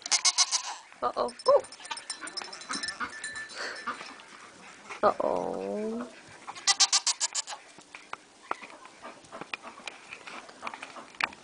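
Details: Pygmy goat kids playing on top of a Shetland sheep, February 2010: one brief wavering, descending bleat midway, among clattering hoof knocks and thumps, with scattered rustling and a few higher squeaky sounds.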